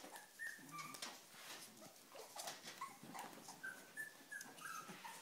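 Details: Cavalier King Charles Spaniels, several females, restless and eager to eat; soft, high whimpers in short sliding whines, repeated irregularly over faint room noise.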